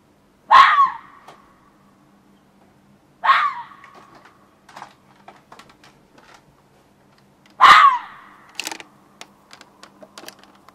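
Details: Fox in a back yard shortly after 1 am, June 2013, gives three loud, hoarse screams spread over ten seconds. Scattered sharp clicks and taps fall between and after the calls.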